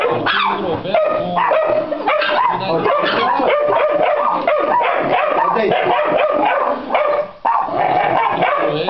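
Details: Dense, excited yapping from a Pit Bull x Yorkshire Terrier mix, quick overlapping barks and whiny yips without a break for nearly nine seconds, with a person talking beneath the noise.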